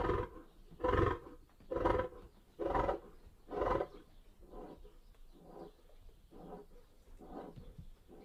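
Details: Lion roar tailing off: four strong, throaty grunts about a second apart, then a series of weaker, fading grunts as the sequence winds down.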